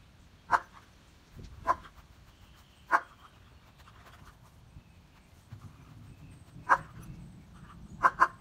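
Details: Odin, a German Shepherd, searches for a squirrel in the rain and gives short, sharp barks at irregular intervals, about five across the stretch, the last two close together, over a low background rumble.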